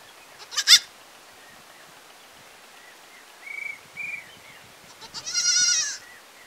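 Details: Village goat bleating once near the end, a wavering nasal cry, preceded by a sharp knock and two faint, thin chirping notes in a quiet setting.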